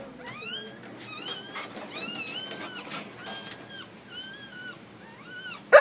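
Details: Heather, a Siberian Husky, giving birth: a run of thin, high squeaky whimpers, each rising then falling, some overlapping, keeps up for about six seconds over low room murmur, ending in one sharp louder squeal.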